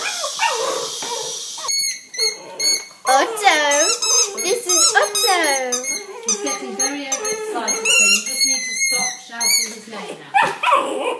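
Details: Vizsla puppy indoors giving a run of high, squeaky whines and yelps that rise and fall in pitch, some sliding upward in bends, with short gaps between bursts; a person speaks at the start.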